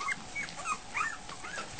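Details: Week-old Goldendoodle puppies heading for food at dinner time give a few short, thin squeaks and whines, some rising then falling, between quiet gaps and soft shuffling.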